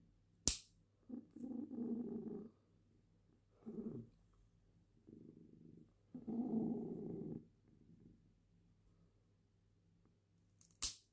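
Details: Female cat purring while having her claws trimmed, rumbling in several separate stretches of one to two seconds, framed by sharp clicks from the nail clippers.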